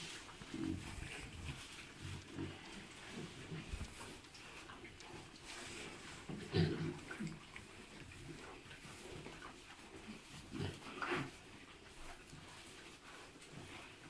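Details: Three-month-old hybrid piglets from a Landrace sow and Pietrain boar give soft, low grunts scattered through the recording. Snuffling and rustling sit beneath them, with louder bursts near the middle and toward the end.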